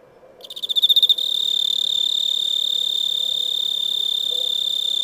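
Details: Chirping cricket beginning after a quiet moment with rapid pulsed chirps that swell in loudness, then settling into an unbroken, shrill high trill for the rest of the recording.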